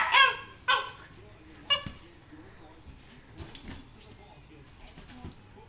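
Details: Two Vizslas play fighting, August 2012: three quick high yelps early on, then fainter scuffling, panting and soft knocks.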